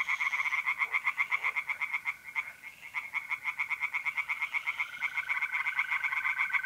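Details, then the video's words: Singing tree frogs at a pond on an April night in north-east Italy give dense, rapid rasping pulses, briefly dipping mid-way, while mole crickets trill steadily in the background. "relaxing singing tree frogs in pond and trilling mole crickets by night"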